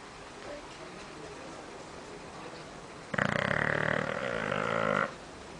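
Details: Bulldog asleep in a living room giving a strong, rattling, harmonic snore that holds steady for about two seconds before stopping abruptly, with quiet background hum before it.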